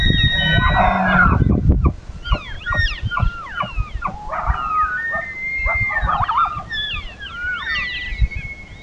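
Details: Several elk (Cervus canadensis) of a herd bugle at once at dusk as it gets dark, high whistled tones sliding up and down and overlapping in an eerie chorus.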